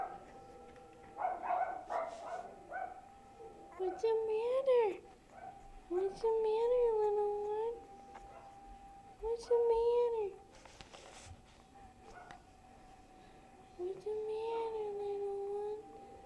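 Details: Boo Boo, a dog described as growing big, gives short nasal whimpers, roughly one every few seconds, each bending up then down. Soft indoor voices and rustling run underneath.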